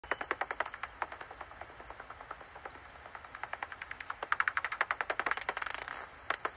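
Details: A pipistrelle bat's echolocation calls, recorded in light rain and made audible, come as a rapid run of dry, snapping clicks.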